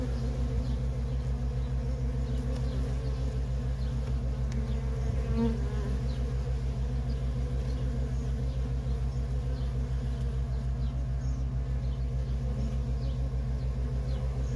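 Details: Feral honey bee colony with constant worker traffic: a continuous, shimmering hum of many wings, overlaid by a deep rhythmic drone and a few faint high ticks.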